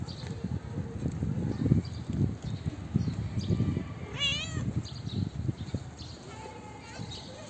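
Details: A female calico street cat gives one short, high meow that rises and then falls, over a low background rumble.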